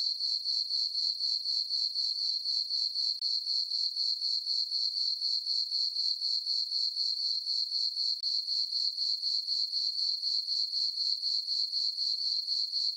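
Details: Summer-night crickets in a meadow on a farm under a full moon, giving a continuous shrill chirping that pulses evenly around four times per second throughout, nothing else audible.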